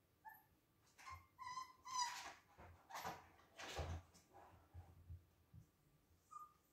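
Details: Husky puppies at play give a run of short, high, tonal yips and squeaks, several in quick succession near the start, then fading to breathy snorts and an occasional thin whine.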